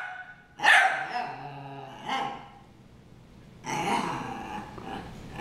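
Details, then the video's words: Harry and Ferris, two dogs brawling: a loud rough bark, a lower growl-like bark, then a drawn-out snarling bark, rasping and harsh throughout. "Harry & Ferris Brawl"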